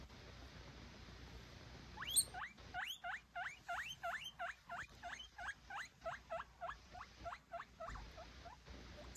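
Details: Scared baby guinea pig crying indoors, still learning to trust its owners: a rapid run of about sixteen high, sharp squeaks, each dipping then sweeping upward, repeated roughly three times a second after a brief pause at the start.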